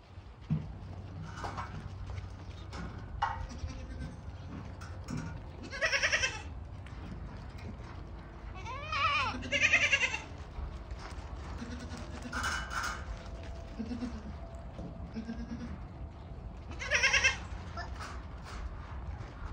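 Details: Yemeni goat at Al-Muzahimiyah giving loud, wavering harmonic bleats, a strong one near the middle and others spaced several seconds apart, over a steady low rumble with quieter bleats between.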